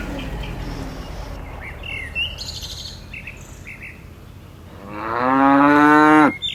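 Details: A herd of dozens of tame cattle hopping down a mountainside slope; after several seconds of low rumbling background and scattered bird chirps, one loud, sustained moo rises and holds, then breaks off sharply.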